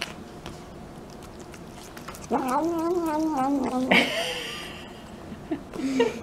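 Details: Domestic cat at mealtime indoors, giving a drawn-out wavering meow with rising and falling pitch for about two seconds, followed by a shorter higher cry and a brief final mew; quiet room background.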